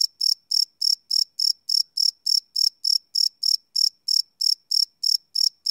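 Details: Cricket chirping after dark, recorded live on a Sony PCM D100 field recorder; bright, shrill chirp bursts follow one another at a steady pace of roughly three per second in a quiet setting.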